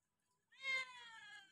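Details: Hungry domestic cat being fed by a family that cares for cats: a single drawn-out meow, bright and slightly falling in pitch, beginning abruptly after half a second of silence and trailing off softly.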